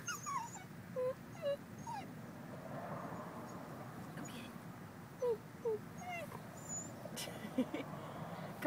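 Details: Dog named EllieMae whimpering outdoors after poking her head into a culvert she wants to explore; short high thin whines, a few spaced over several seconds, with faint background noise.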